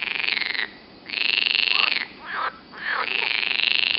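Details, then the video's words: Green frogs croaking near Turku, Finland: loud, buzzy, rapidly pulsed trills in long bursts of roughly half a second to a second, broken by brief pauses filled with quicker, shorter rasping notes. "Croaking green frogs"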